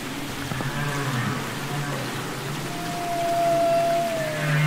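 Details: Humpback whale song from Capitol Records ST-620, recorded underwater: a low, droning hum under soft harmonic moans, then a long, level mid-pitched tone that slides down at the end, amid steady ocean hiss.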